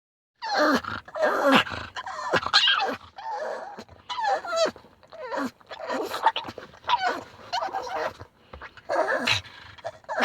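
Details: Pug, excited on arriving home, not upset; loud wavering high-pitched screams and squeals in repeated bursts, with a person laughing and talking.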